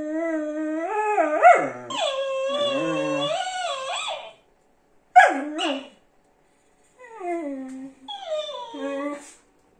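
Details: Jonak the whippet answers a Mexican-style dancing cactus toy, giving wavering, whimpering howls that swoop up and down, broken into several short bursts separated by silent gaps.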